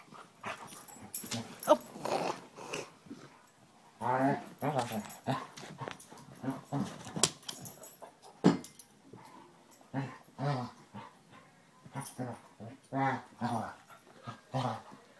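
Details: Two Basset Hounds, Tracker and the new puppy Ranger, rough housing in play: bursts of gruff, harmonic growls and short barks come in irregular clusters, with brief quiet gaps between rounds.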